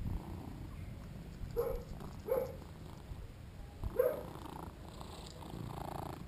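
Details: Shinobi, a two-year-old male British Shorthair, playing while filmed on a GoPro: three short mid-pitched chirping calls break out near the middle, with a faint low purr and light handling noise between them.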